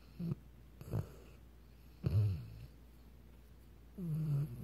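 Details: Weimaraner dog snoring in short, low snorting bursts, four of them spaced irregularly about a second apart, with quiet gaps between.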